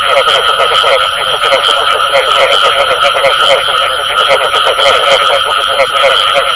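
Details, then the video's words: Frogs calling, including the call known locally as bù tọt, in a dense, fast chorus of overlapping pulsed croaks over a steady high electronic whine and hiss. "Tiếng Ếch Kêu Có Tiếng Bù Tọt Cực Chuẩn"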